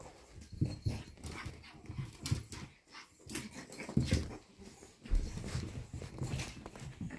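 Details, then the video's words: A lively pug puppy indoors breathing in rough, noisy bursts of panting and snuffling, uneven in rhythm, with small thumps and rustles of movement in a small room. "パグ 元気な子"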